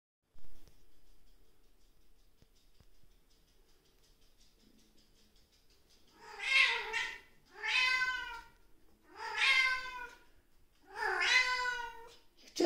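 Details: A Siamese cat greeting its owner in the morning gives four loud, drawn-out meows, each rising then falling, in quick succession.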